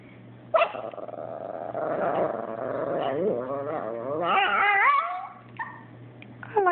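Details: Abbie, a pet Chihuahua, grumbles and complains after her Yorkie housemate Sebastian took her toy: a long, wavering, growly whine sliding up and down in pitch, rising to higher yodeling tones near the end, with short sharp yips around it.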